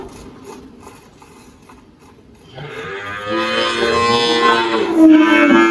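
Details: Spotted Girolando dairy cow Malhada, 18 years old, on a farm in Anápolis, Goiás, Brazil: quiet background for over two seconds, then a swelling, rough, harmonic moo that grows louder and ends on a higher sustained tone.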